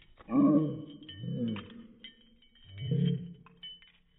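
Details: April the pug barking indoors, played back in slow motion from a phone: three deep, drawn-out, roar-like barks, slowed and lowered in pitch, each about half a second long, with faint ringing tones above.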